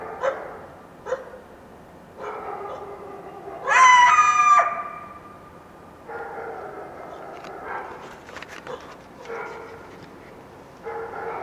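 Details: Wild coyote yelping at dawn after a full moon night in the foothills of the Washington Cascades; tonal yips and wavering howl-like notes come in irregular bursts, with one loud, high, quavering cry near the middle.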